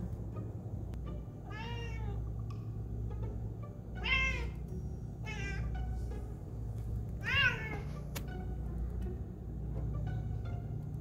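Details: Squirrel-watching cat Basil gives bright, falling meows spaced a few seconds apart, some short and chirping, two stronger and louder, against a constant low droning background.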